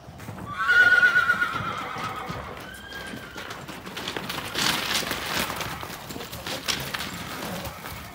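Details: A Friesian foal, one of several imported from Holland and aged 10 to 12 months, gives a brief high whinny near the start, then shuffling hoof and rustling noise fills the rest.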